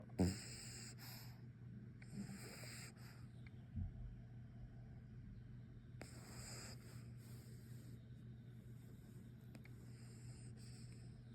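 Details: Sir Pugsly Pugsworth, a pug puppy, sleeping and tuckered out: soft breathy snores come as hissy bursts every few seconds, with one louder snort near the start, over a steady low hum in a quiet room.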